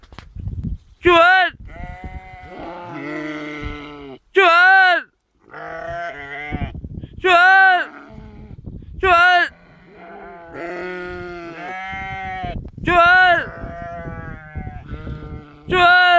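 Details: Sheep giving loud, wavering, nasal bleats about half a second long, repeated every two to three seconds, with quieter human speech filling the gaps between calls.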